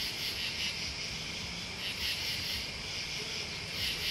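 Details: A continuous high-pitched trilling of crickets and bugs, with buzzy pulses rising and falling about every half second to second against a soft low background hum.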